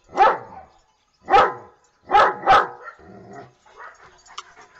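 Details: Dogs barking for fun in a playful, happy mood: four loud, sharp barks, the first two about a second apart and the last two close together, followed by softer mixed background noise.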